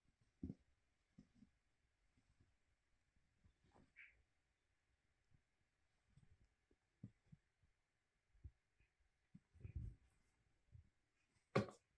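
Soft thumps, light scratching and a faint steady hum in a quiet room, with no clear animal voice.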